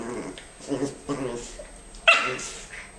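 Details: Two dogs at play, a Norfolk female and her friend Jackson, make low grumbling growls followed by one sudden high-pitched yip, with voices in the background.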